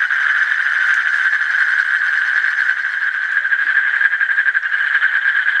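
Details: Asian common toad giving a long, unbroken pulsed trill, a buzzy mid-pitched rattle that wavers slightly in loudness toward the end.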